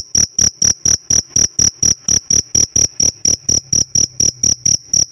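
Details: Pet cricket chirping: a steady train of about twenty short, shrill, high-pitched pulses, each a clear ringing tone, repeated roughly four times a second with even loudness and a quiet background.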